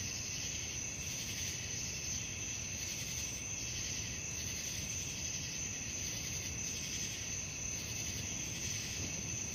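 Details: Crickets calling at night, a steady, unbroken high-pitched ringing drone with faint swells roughly every second, set over a constant low, rough background hiss and rumble.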